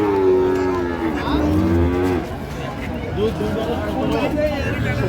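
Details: Lowing of a dairy cow at Ambari Haat cattle market in Dinajpur, 9/3/25, among improved-breed milk cows and calves: a long low moo opening the clip, then a shorter call, over steady crowd noise.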